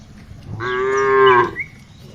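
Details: A single tame cow, herded in the afternoon, gives one full, rich moo about a second long that swells and then cuts off cleanly, over faint background hum.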